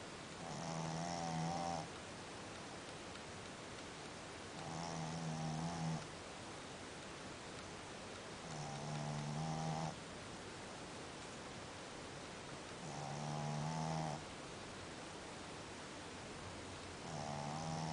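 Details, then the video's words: Snoring of a sleeping dog: five regular, droning inhalations roughly every four seconds, each a buzzy, layered rasp of about a second, separated by quiet room hiss. "Sleeping like a dog, snoring like a human"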